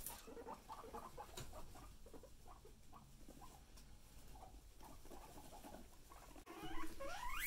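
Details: Guinea pigs, one named Chip that is picked on by another: a run of soft low pulsed chuts at an uneven rate of about two per second, followed by a brief louder rise near the end.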